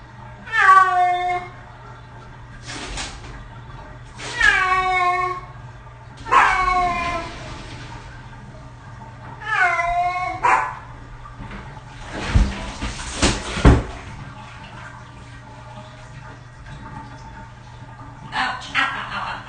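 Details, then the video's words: Six-year-old cat in its first bath gives repeated short, plaintive meows about every two seconds, followed by loud splashing and thumps, then faint mewing near the end. "Cat Bath Audio Only"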